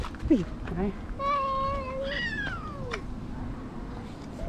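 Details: A grumpy, fierce stray female cat that wants to attack gives a long, drawn-out yowling meow, held steady for about two seconds before sliding downward. A person's voice comes before it, with outdoor background noise.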